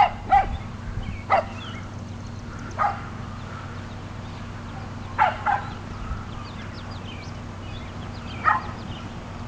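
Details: Playful 7.5-week-old Sheltie puppies romp in a garden alongside shelties and Sheltie-Cocker mixes, May 2012; sharp isolated barks and yips spaced a few seconds apart, with faint squeaky whimpers between them over low background hum.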